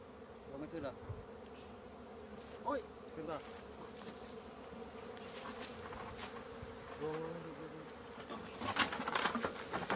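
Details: Thai cavity-nesting honey bees in Thailand at the year's first 2020 honey harvest from an old nest whose queen has moved away: a steady droning hum persists beneath intermittent human talk and handling knocks.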